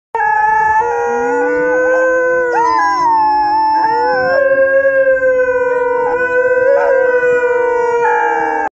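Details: Wolfdog howling: long sustained tonal howls with rich harmonics, pitch gliding up and down and breaking into new notes every second or two, continuous and loud throughout.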